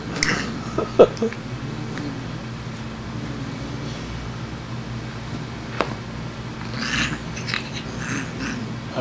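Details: A female Siamese cat makes a low, drawn-out growling, hissing yowl while playing with a kitty tickler toy, with a few sharp knocks; she is only playing, not angry.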